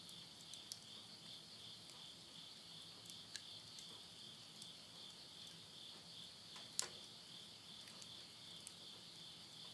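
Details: Insects calling at midnight near a house in Yurihama, Tottori, Japan, in September 2020 at summer's end in the countryside: a steady, shimmering high-pitched trill runs throughout, with sharp crackles and pops from burning wood in a stove.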